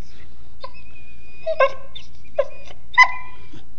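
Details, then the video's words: Mastiff puppy talking funny with a series of short whimpers and yips, some thin high whines drawn out between them, irregularly spaced over four seconds in a quiet indoor setting. "Mastiff puppy is talking funny"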